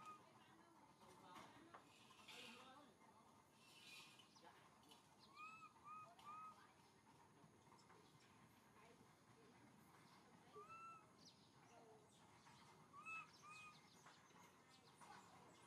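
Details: Little monkey MoMo, a baby, calling for its mother Malika in a park: soft, arched whistled coos, each rising then falling, given singly and in short pairs at intervals. Faint chatter and rustling in the background.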